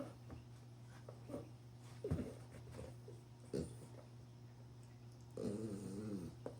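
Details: Nine-month-old female Frenchie pug puppy, a frug, playing alone indoors with a ball: short throaty grunts, then a longer wavering nasal whine near the end, with a steady low electrical hum throughout.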